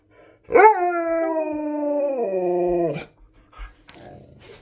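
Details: Husky demanding more treats indoors, giving one sustained, tonal howl of about two and a half seconds that holds steady, then sags lower and breaks off abruptly, followed by faint rustling.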